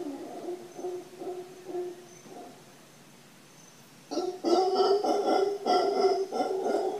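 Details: Howler monkeys at Papagayo Peninsula, Guanacaste, Costa Rica: soft, rhythmic grunting pulses for two seconds, a brief lull, then a louder burst of hoarse, harmonic-rich roaring grunts repeated about three times a second.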